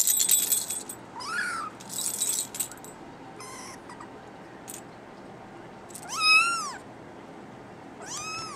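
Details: Male brown tabby and white kitten mewing in short rising-then-falling calls, one early and two louder toward the end, between bursts of rustling and handling noise.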